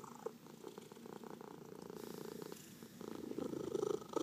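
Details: Massaged domestic cat purring; fast pulsing low rumble, steady at first then strengthening toward the end, indoors.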